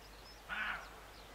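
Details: Single gruff bark from a roe deer near Morpeth, Northumberland, recorded August 2012: a brief, rasping burst standing out against low steady background hiss and faint distant bird notes.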